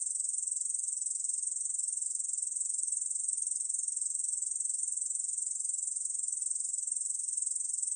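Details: Steady, shrill, rasping trill of a Korean bush cricket, held without pause for the whole stretch; National Institute of Biological Resources recording from 2020.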